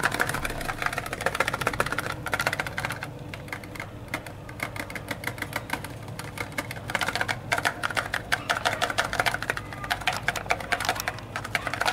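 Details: Rapid, continuous mechanical clattering like a typewriter or sewing machine runs throughout over a low steady hum, with no animal voice present.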